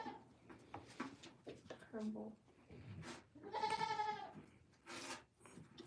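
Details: A goat on a farm lets out one loud, shaky bleat midway, with voices talking and bumping noises around it.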